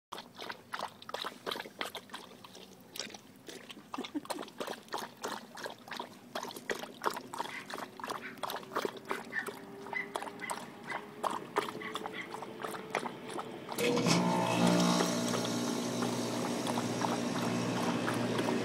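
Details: Lucy, a thirsty dog on a hot day, laps water with quick, rhythmic wet slurps, about three per second and fairly steady, for some fourteen seconds. A louder, continuous rushing noise then takes over until the end.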